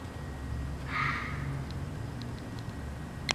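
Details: Late at night in the woods, a fox gives a single hoarse, high bark against a low background rumble.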